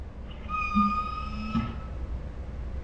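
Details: Ours, a pet Saint Bernard dog, 'talking' with dinosaur-like sounds: one level, high whine lasting about a second, under a lower throaty moan, in a quiet indoor room.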